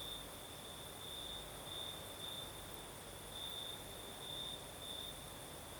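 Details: Crickets calling on a breezy night in the south of Crimea, their high, even trill running without pause and growing brighter in brief bursts, set against a constant soft hiss of wind.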